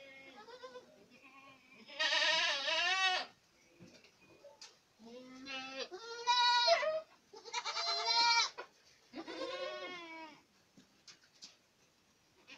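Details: Boer goats at Acatlán de Osorio, Puebla, bleating repeatedly: wavering, harmonic-rich cries of about a second each, some loud and strained, others softer and lower, with quiet gaps and faint clicks between.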